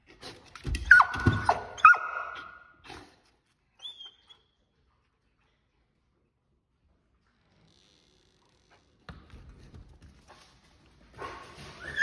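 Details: Belgian Malinois dog outside a garage, wanting to come in: two high, thin whines about a second apart with scuffling underneath, several quiet seconds, then more scratching and a rising whine at the end.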